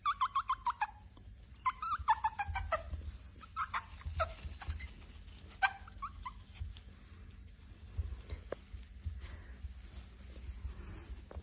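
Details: Male Chihuahua puppy giving a quick burst of high, falling whimpering yelps, then scattered shorter yips and whines amid rustling and handling noises.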